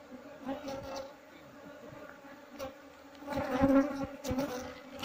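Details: Wild honey bees being relocated into a box, their hum a constant low buzz with a faint higher overtone, swelling briefly near the end amid rustling and a man talking.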